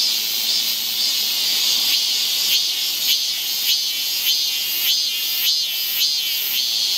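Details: Cicada chorus on a forest trail in Seoul during the Korean summer, a loud high buzzing drone swelling in regular pulses about twice a second, filling the whole stretch with no other clear sounds.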